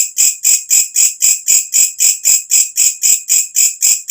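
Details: Walang kecek, a katydid heard loudly after dark and prized by bird keepers as tutor sound; sharp, hissing-shrill pulses, each rising in loudness and stopping abruptly, about sixteen in a few seconds, perfectly regular.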